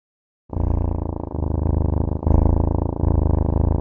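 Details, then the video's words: Domestic cat purring loudly and steadily, a deep rumbling vibration that starts suddenly after a short silence and continues with slight breaks in rhythm. "CAT SOUNDS"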